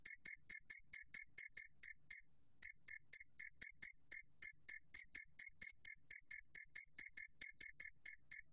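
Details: Two-spotted cricket recorded by the National Institute of Biological Resources, 2020: clean, high, ringing chirps repeated steadily about four per second, one brief pause near two seconds, no other sounds.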